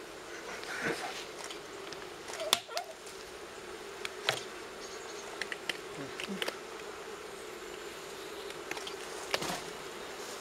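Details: Honey bees from a wild four-comb forest nest near Kiev, Ukraine, being transferred into an apiary hive. A continuous droning hum holds steady under scattered sharp clicks and a few quiet words.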